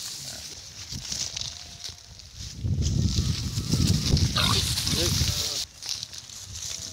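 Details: Pigs grunting in low, rough bursts for about three seconds, with a brief higher squeal in the middle, over a steady high insect-like hiss and a voice.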